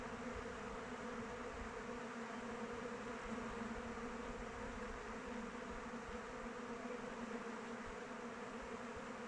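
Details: Honey bees flying around their hive in open weather: a steady, dense droning hum with strong bands around 250 and 500, unbroken and even in loudness throughout, no other clear sounds.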